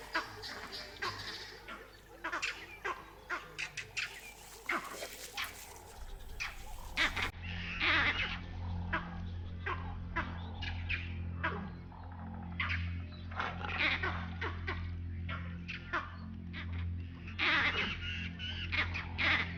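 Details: Vervet monkeys, echoing a jackal's barks, give harsh, chattering alarm calls in rapid bursts from a distance. The calls alert a leopard and come from the direction of her den. Finding: Vervet monkey.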